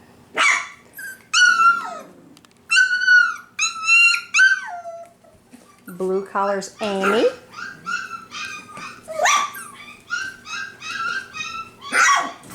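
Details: Honey's five-week-old F1b Cavapoo litter at a Carthage, Missouri kennel keeps up a run of high harmonic whines and yelps, some falling in pitch, some short and choppy, in a small room with occasional human talk.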